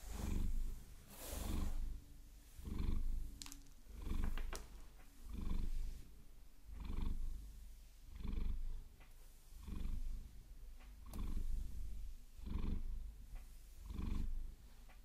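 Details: Long, even purring by Maine Coon Vasilisa as long nails massage her, captured binaurally; about eleven regular low rumbling swells, one every 1.3 seconds, punctuated by crisp nail taps and scratches early on.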